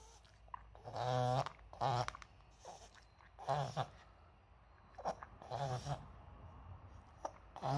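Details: Maltese dog indoors having a reverse-sneezing episode that a vet identified, more common at seasonal changes: repeated harsh, honking snorts in short bursts with pauses between, quiet room.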